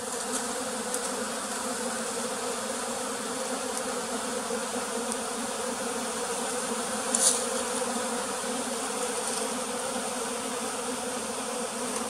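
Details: A single bee, called pearl's bee, at a bee farm in the flooded forest of West Tonle Sap Lake, Cambodia: a steady, dense buzzing drone with low humming bands, continuous for the whole stretch, and one brief sharp tick midway.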